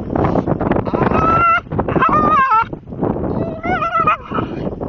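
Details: A female Staffordshire Bull Terrier makes odd warbling, chimp-like "talking" whines that wobble up and down in pitch. She is not in pain.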